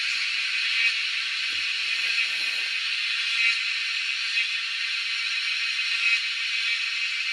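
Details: Cicadas in the wild making a loud, steady, hissing drone that holds without a break, with faint pulses swelling slightly every few seconds.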